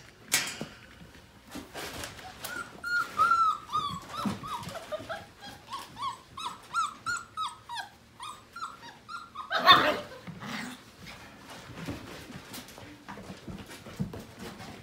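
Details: Portuguese Water Dog puppies just over five weeks old at morning play: a long run of short, squeaky whimpering yips repeated about twice a second, ending in a louder burst of scuffling and yelping, with pawing noises throughout.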